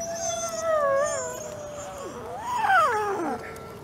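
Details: Alawa, a captive-born male gray wolf at the Wolf Conservation Center in South Salem, New York, gives long, smooth howls that waver, then swoop up and slide down.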